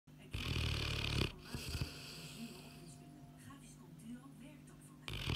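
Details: Sleeping Boerboel dog snoring indoors: a loud, low rasping snore for about a second, then quieter breathing with faint rumbles and small clicks, and another loud snore rising at the end.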